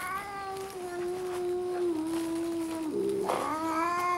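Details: Two red tabby cats face off outside a park at early morning; a long, steady, low moaning howl that holds level for about three seconds, then swells and wavers into a rising yowl.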